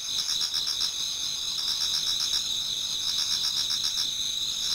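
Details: Insect chorus in a Japanese garden during autumn, toward dawn: several high, steady ringing trills stacked together, joined by a throbbing pulsed buzz that swells and fades across the few seconds.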